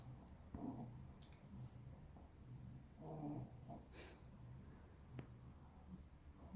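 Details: Sleeping Maltese snoring quietly in a small room, slow low breathy rumbles spaced a few seconds apart, a brief rustle near the end.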